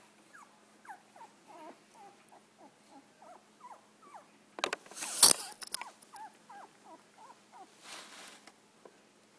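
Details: Golden Retriever puppies, a litter of nine with their mother, give a run of thin, high whimpers with a brief noisy rustle midway.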